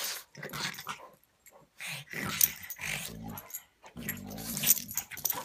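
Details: A pug and an English mastiff play-fighting indoors: short bursts of low, rough growling, with breathy snorts and scuffling between them and a loud growl near the end.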